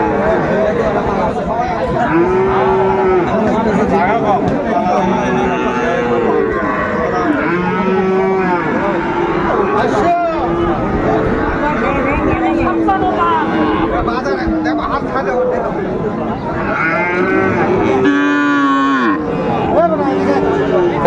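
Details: Friesian and cross-breed bull calves for sale at Ranigonj cattle market, Dinajpur, Bangladesh, on 28 November 2024. Many overlapping low moos, some drawn-out and wavering, rise from the herd over constant crowd chatter and men's voices.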